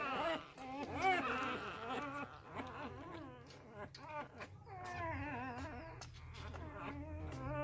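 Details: Several newborn Labrador Retriever puppies, deserted by their first-time mother and fed fresh milk, cry together in overlapping wavering whines, a continuous plaintive chorus over a low background hum.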